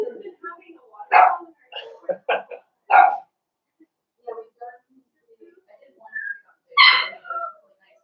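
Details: Blenheim Cavalier King Charles Spaniel puppies from a litter of five born at New Year in a home puppy pen; short high yips and barks come in an uneven string, mixed with human voices in a small indoor room.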